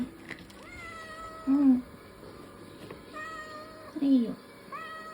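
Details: Ragdoll cat, a young male born in 2022, meowing because he wants food; rising, drawn-out meows with harmonic overtones, with short low sounds between them and faint background hum.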